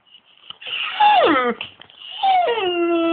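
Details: A pet Great Dane waking its owners at 6am, as it does every morning, gives two drawn-out, harmonic whining moans, each sliding down in pitch and then holding a lower, steady tone, recorded indoors.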